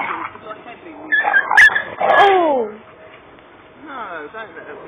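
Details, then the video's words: Doberman puppy playing with bigger dogs: a woman's voice and a sharp clatter are followed by a falling whine, then a shorter whimpering yelp near the end. "the doberman puppy taking on the big boys"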